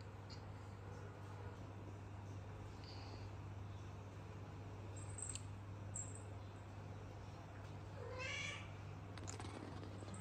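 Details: Numpav, a cat in hot Cambodia lying near the bathroom, gives one short rising meow with stacked overtones about eight seconds in, over a steady low electrical hum and quiet room noise.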